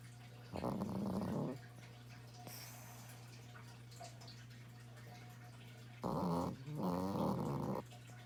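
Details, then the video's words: A sleeping pet dog snores repeatedly: one harsh, rattling snore, a quiet gap, then two more close together, over a continuous low hum in a small room. "My dog snores"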